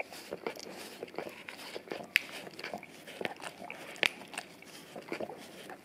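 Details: Male English cream golden retriever cleaning his tongue and breath by licking an Orapup brush smeared with peanut butter, taped to tile indoors; sticky lapping and smacks at an uneven pace, two sharp clicks standing out.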